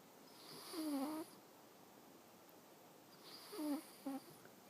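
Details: A sleeping domestic cat named Awaru snores softly indoors: two breathy, rasping snores about three seconds apart, the second trailing into a brief extra snort, with a quiet room between breaths.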